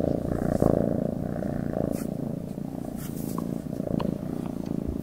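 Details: Domestic cat purring: a steady, low, rumbling buzz pulsing rapidly and continuously throughout, close and fairly loud, with faint soft clicks above it.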